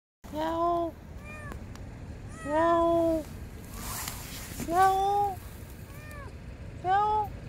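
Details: Palm-sized lost kitten crying from under a parked car before being rescued: four clear, drawn-out meows roughly every two seconds, each steady then falling slightly, with faint street noise between.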